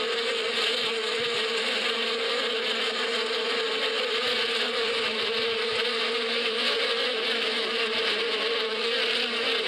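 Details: Springtime bee buzzing in the Badia desert countryside: a constant layered hum, low droning core with bright airy overtones, gently pulsing in loudness but never stopping.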